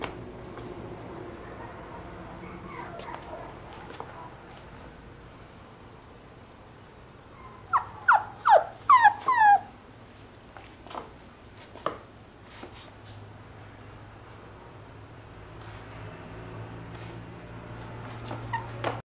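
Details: A mixed-breed puppy weighing 1.5 kg, recorded 6 October 2023, gives a brief burst of high, falling whines midway through, then scattered faint squeaks amid low steady room noise.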